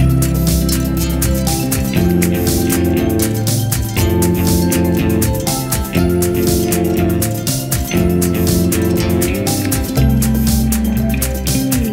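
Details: Loud steady music with a strong bass beat and plucked guitar fills the whole stretch, with no animal voice.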